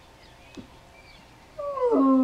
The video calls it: Sad Bloodhound Howling